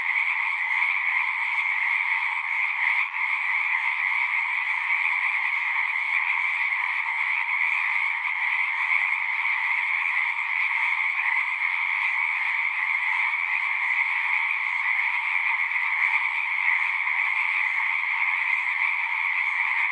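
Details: Steady frog chorus in nature, countless overlapping callers forming a seamless buzzing trill in a mid and a high band, unchanging over twenty seconds apart from one brief dip near the start.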